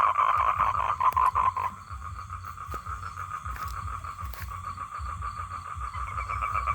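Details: Male toad calling to attract females for mating, a steady droning note, loud in the first two seconds and then softer, with faint rough pulsing and low rumbling background noise.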